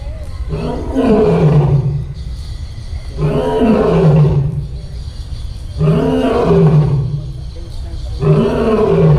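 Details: Captive lion at a zoo roaring: deep, moaning, grunting roars with rising-then-falling tones. Four bouts come in about nine seconds, roughly every two to three seconds.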